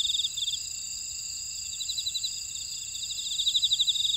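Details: Grass insects calling in a buckwheat field at Ora-dong, Jeju, South Korea: steady high whining tones overlaid by fast pulsed trills that swell at the start and again near the end, no other sounds.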